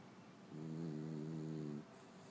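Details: One drawn-out snore from a French bulldog: a single low, steady, nasal droning tone rich in overtones, holding for just over a second before stopping abruptly.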